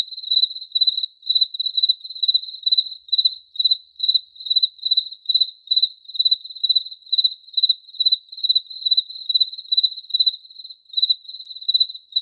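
A cricket chirps steadily, with short high pulsed bursts repeating a few times each second.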